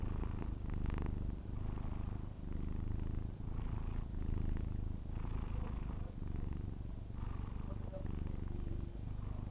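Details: Persian cat snoring while asleep indoors: a steady low rumbling drone with breathier bursts roughly every two seconds, fairly even throughout.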